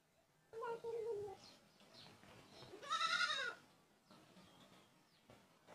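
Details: Goat giving a loud, strained bleat that rises then falls over about half a second, after a lower wavering call; faint human voices and background murmur are heard around it.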